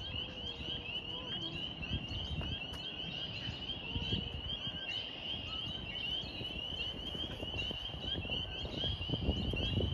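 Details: A dense chorus of spring peepers waking up in spring, high shrill peeps blending into a steady ringing over low rumbling background noise, with local birds also calling.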